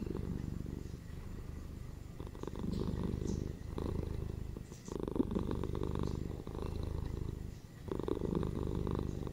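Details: Purring house cats: a deep, continuous vibrating rumble in soft waves roughly every two seconds, steady and soothing, with no other clear sounds.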